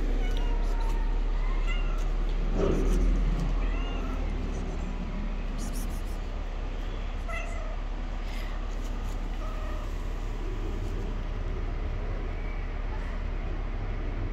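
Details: Hungry stray tabby cat living on the street, giving a series of short, rising, nasal meows spaced a few seconds apart over a steady low rumble of background noise.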